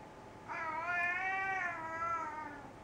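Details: Solo, a pet cat ready for dinner, gives one long drawn-out meow indoors, a steady harmonic-rich tone that rises slightly then slowly falls and fades over about two seconds; quiet room background.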